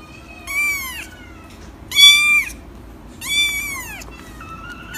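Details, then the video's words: Cat meowing repeatedly: three drawn-out, arching meows about one and a half seconds apart, each falling at the end, then the start of a fourth, higher call. "Vidio kucing mengeong lucu"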